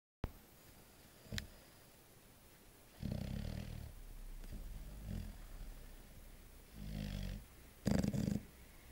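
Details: A sleeping six-month-old chocolate Labrador Retriever snores indoors: low, rumbling breaths in irregular bursts separated by quiet pauses, with one brief sharp click early on.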